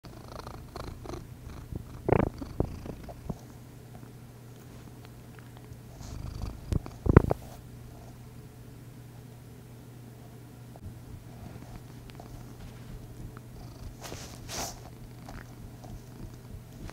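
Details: Domestic cat purring steadily indoors. A soft, continuous low hum runs through the whole recording, with a few brief clicks and rustles near the second and seventh seconds.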